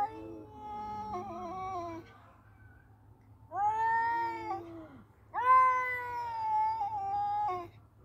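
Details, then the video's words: Two male cats fighting, giving three drawn-out wailing yowls, each about one and a half to two and a half seconds long, wavering in pitch with short quiet gaps between them, indoors and close. "Battle of Two Cute Male Cats .(Cat Voice)."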